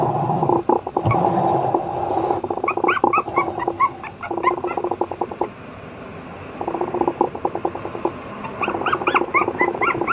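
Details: Apricot-coloured Toy Poodle puppy giving short, high arched whines in scattered bursts over a rapid, rough pulsing chatter. The whines cluster near the middle and end.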